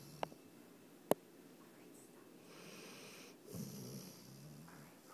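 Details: A male Basset Hound, described as a bully, lies asleep with his tongue sticking out, snoring as he usually does; soft, breathy rasping swells rise and fall slowly, with two sharp clicks near the start.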